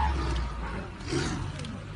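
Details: Tiger attacking an elephant gives a deep, rumbling roar that swells and holds low and broad for two seconds, with a rough, noisy texture spread above it.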